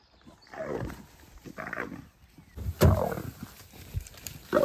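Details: Two sister leopards, both female, squabbling in the morning: harsh, rasping snarls and growls in short broadband bursts about a second apart, with one louder explosive snarl near the middle and another at the end.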